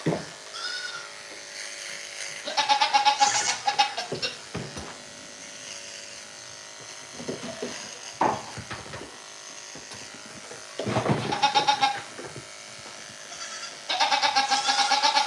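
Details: Goats calling at a farm and home, several loud quavering bleats in bursts a few seconds apart, the last one sustained, with knocks, shuffling and faint indoor room noise between calls.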